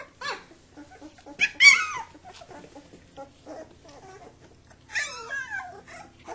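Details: Kuvasz puppies wrestling with their father supervising, giving sharp high yelps and wavering whines, a loud squeal early on and a longer quavering whine near the end, separated by quieter grumbles.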